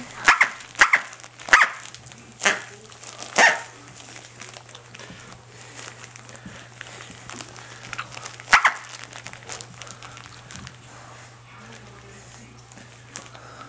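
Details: Corgi puppy Tic-tac, female, six to seven weeks old, at play with her toy duck: a quick burst of five high yaps in the first few seconds, one more later, then near quiet with faint voices.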